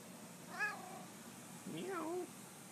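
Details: Pet cat meowing, happy to see its owner: two short meows in quick succession, the first bending up then down, the second lower and drawn out, over a quiet indoor hum.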